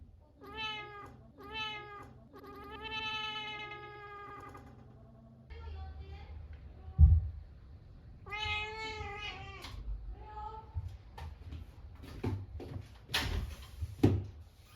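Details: Munchkin cat indoors, answering when called by name and coming over; several clear harmonic meows, short ones at the start then a longer drawn-out one, with a person talking in between and handling noises.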